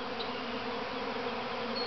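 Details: A swarm of hundreds of thousands of honey bees, the first to leave the mother hive at Grass Lake Sanctuary, Manchester, Michigan, on May 13, 2012, fills the air with a dense, steady, humming drone.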